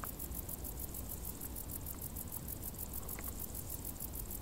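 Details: Crickets in tall grass during warm summer: a clear, sharply pulsed high chirp repeats in steady rows of beats, with a broad low background rumble and a couple of faint short squeaks.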